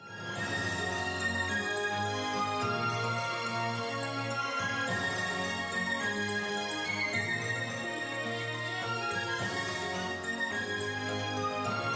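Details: Dense orchestral theme music fills the whole stretch, with no animal sound.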